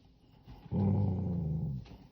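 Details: Female pet dog growling in anger at being called for a bath: one steady, low rumbling growl lasting about a second, rising abruptly and cutting off, with a quiet background.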